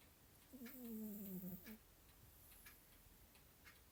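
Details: Male house cat snoring while asleep indoors: one drawn-out, low, rough harmonic snore lasting about a second. A clock ticks steadily in the background.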